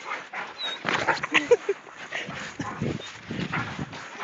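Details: English mastiffs playing outdoors in snow, giving short whimpering and yelping vocal bursts amid scuffling, with people talking and urging them on nearby.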